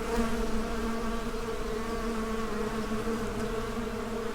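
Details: A soundscape of many buzzing bees at work: thick, continuous humming with strong low rumble and several steady droning tones, slightly fluctuating in loudness but never pausing across the short stretch.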